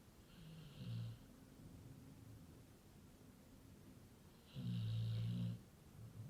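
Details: Very loud snoring from a sleeping Labrador Retriever: a short rumbling snore, a pause of about three seconds of soft breathing, then a longer, louder, deep snore with a breathy hiss.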